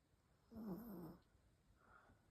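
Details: A female Chihuahua sleeping indoors, snoring her head away: one soft, raspy, breathy snore with a wavering low buzz lasting about three-quarters of a second, then quiet room hush and a faint fainter breath afterward.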